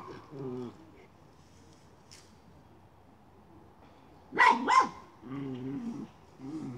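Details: Miniature schnauzer on the hunt for a chipmunk, moving a pipe: soft, low, tonal whines or voice-like sounds come and go, broken midway by two sharp barks in quick succession.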